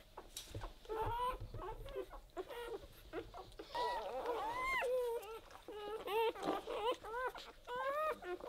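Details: Weimaraner puppies aged zero to four days give thin, squeaky cries, short bent whines and sharp rising squeals that overlap irregularly, some louder yelps near the middle, with soft rustling between calls.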